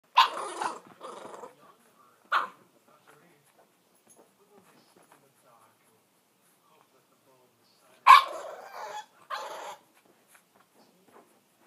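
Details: Female Bulldog puppy straining to reach a treat, giving short bursts of grunting, whining vocalisations, two near the start and two around eight to nine seconds, separated by near silence.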